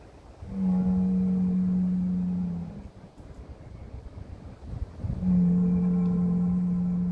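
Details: A Heck cattle bull calls his herd in the Kottersbos, Oostvaardersplassen, Nationaal Park Nieuw Land, 10 March 2021. It gives two long, deep, steady lowing calls of about two seconds each, with a rumbling pause between them.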